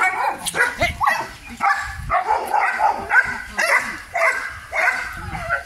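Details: Male German Shepherd dog barking: a rapid run of short, harsh, mid-pitched barks, roughly two per second, uneven in spacing and loudness, with a faint voice in the background.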